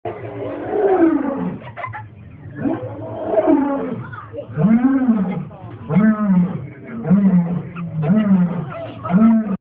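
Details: A lion at San Diego Zoo gives a full roaring bout: a few long, throaty moans that rise and fall. These shorten into a series of low grunts about once a second, each fading out at the end.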